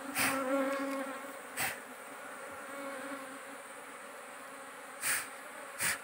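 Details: Giant honey bees (dorsata forest bees) at a small wild nest being harvested for honey: a steady, low droning hum holding an even pitch, broken by a few short sharp knocks and rustles.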